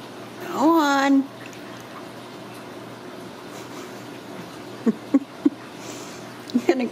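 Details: Ragdoll kitten raised in a home cattery in central Kansas, coaxed to climb down, gives one drawn-out meow that rises, dips and levels off into a steady tone, followed by quiet room hush and a few soft short sounds.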